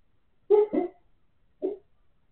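A Siberian Husky gives soft, muffled woofs while asleep, a quick double bark then a single one.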